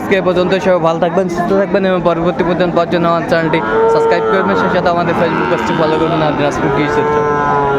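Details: Sahiwal bull calves bought by a Bagerhat farmer, Bangladesh, 14 November 2024: long, drawn-out harmonic moos rise and overlap throughout, several bellows sustained for seconds, over a busy background of human voices and crowd noise.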